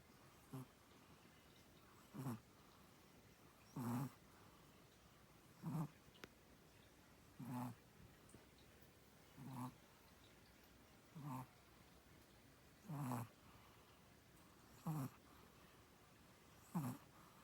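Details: A sleeping Chihuahua snores in short, low, raspy bursts that repeat steadily about every two seconds, with quiet pauses between breaths.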